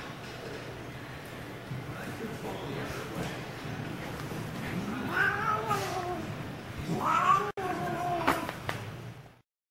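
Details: While attacking a mitten, Daisy the pet cat gives two wavering, bending meows in the second half, with faint murmuring voices and low background rumble.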